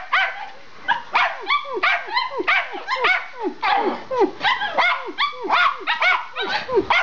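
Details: Two Schipperkes bark excitedly while running through a house, sharp high yaps and yips tumbling over one another several times a second, nearly continuous with bright, clipped notes and short whiny edges.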